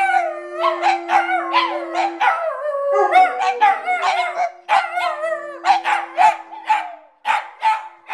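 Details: Several pet dogs howling along to American Idol auditions on TV: overlapping wavering howls rising and falling, with a steady sung tone beneath from the television in the first two seconds.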